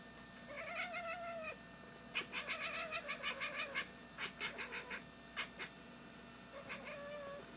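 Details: Female pet cat that learned to bark from a dog friend, watching the yard and trying to scare a bird away: drawn-out mewing calls, then a rapid run of about a dozen short, clipped, barking chirps, and a final brief mew.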